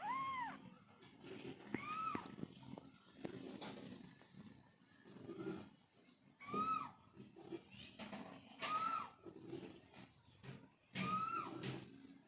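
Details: Domestic mother cat calling to kittens: five high, drawn-out meows spaced about two seconds apart, each sweeping up and falling away, with quieter murmuring and rustle in between.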